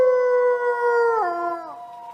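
A wolf gives a long, smooth howl that holds steady, then slides down to a lower pitch.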